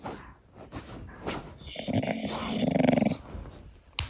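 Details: Koda, a pet English Bulldog, sleeping and snoring indoors: a rough, buzzy snore swells around the middle, with quieter irregular breathing and snuffles before and after.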